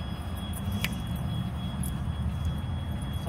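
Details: Low outdoor traffic rumble with a short metallic jingle like keys, with no animal sound heard.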